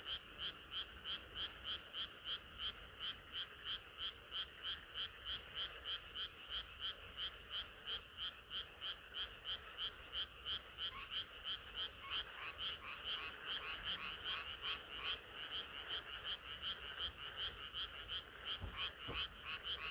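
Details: Frogs singing through a hot summer night, rapid pulsed croaks about three per second in a dense chorus, a few lower drawn-out croaks joining midway, and a brief soft knock near the end.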